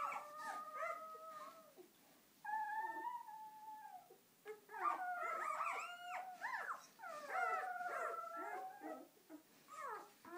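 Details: Day-old purebred German Shepherd pups, part of a ten-puppy litter. Repeated thin, quavering squeals and short yelping whimpers come in overlapping bursts, with brief quieter gaps between them.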